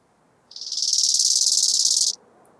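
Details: A bow-winged grasshopper (Chorthippus biguttulus) in Hanfeld, Germany, on 19 September 2021 gives a high, dry, rasping burst of rapidly pulsed chirps lasting over a second.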